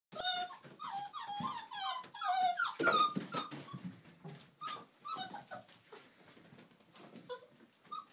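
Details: Old English Sheepdog puppies, Millie's girls from Haverlands, playing together indoors: high whiny yelps and squeals, some sliding down in pitch, overlapping with soft growls and scuffling thumps, busy at first and thinning toward the end.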